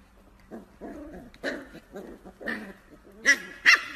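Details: Corgi puppies giving a run of short, high yips and whimpers, about two or three every second, with uneven spacing and the last two notes sharper and louder.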